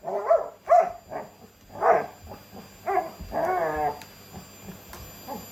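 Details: Labrador Retriever worked up by a vacuum cleaner, turning beastly during a cleaning battle alongside a Shiba Inu: a rapid run of loud, harmonic yelping barks and whiny yips, irregularly spaced over about five seconds, indoors.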